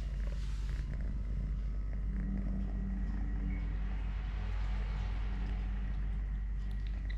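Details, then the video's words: Low pulsing rumble of a purring three-legged pet cat named Totoshka, busy eating, playing or wrestling a hand. The drone stays even for the whole stretch, with faint background hiss. "LITTLE GREMLIN PURR PURR | Having Food, Playing, Walking, Fighting with hand, purring"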